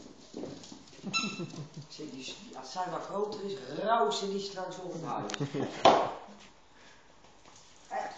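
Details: Shiba Inu named Emi, a pet dog, meeting another dog named Zinzi for the first time indoors. Wavering whines rise and fall in pitch over several seconds, followed by a sharper yelp. People talk throughout.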